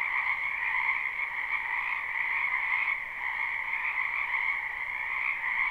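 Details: Springtime wetland frogs calling together in a live, unlooped recording: a thick, continuous wall of shrill croaks with a slight dip in loudness near the middle, then the steady chorus resumes. Nothing else intrudes.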